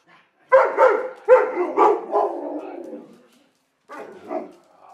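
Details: An Alaskan Malamute, one of two being fed. Rapid, grumbling, harmonic woos in quick succession trail off into a low drawn-out moan, then a softer short yowl after a pause.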